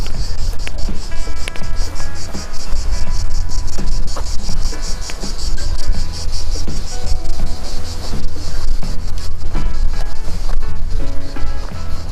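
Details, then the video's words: Cicadas, present since 14 June, give a steady, high, rapidly pulsing buzzing chorus on a windy walk in the Mont Ventoux area, over low handling rumble and some tonal sounds. "Ouais, on entend les cigales, elles sont arrivées depuis le 14 juin ici, les cigales."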